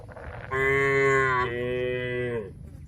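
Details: Long two-part lowing from cattle eating grass amid oil palm trees in rural Indonesia: a steady, harmonic moo of two seconds that drops a step midway and holds, ending abruptly, over a quiet outdoor background.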